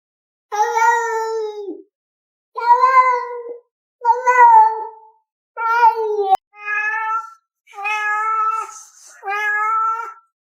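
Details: Pet cat meowing indoors: seven clear, drawn-out meows, each about a second long, evenly spaced with short silences between. The tone is steady and harmonic-rich, and the later calls are slightly shorter and higher.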